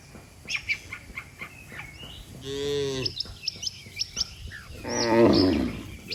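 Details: Dozens of cattle walking in an orderly row on a road give two drawn-out, deep moos, as if calling the herd home, amid sharp, scattered bird chirps.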